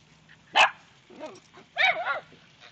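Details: Dachshund with other dogs barking at ducks: two sharp, high barks about a second apart, with softer yelping in between and a faint low hum behind.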